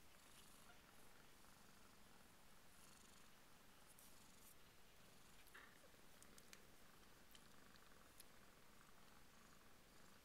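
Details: Two-week-old Burmese kittens give a continuous low purr, an even rumbling throb holding for about ten seconds, with faint scattered clicks above it.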